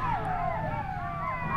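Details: Many wild golden jackals calling loudly from a forest at night in the mountains of Iraqi Kurdistan, where locals say they go after chickens; overlapping wavering, wailing howls that rise and fall together over a steady low hum.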